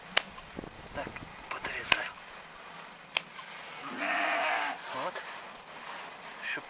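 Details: Romanov sheep being restrained for hoof trimming in spring 2019, Tver region, Russia; sharp clicks and handling noises, then a single strained bleat lasting under a second, with quiet talk nearby.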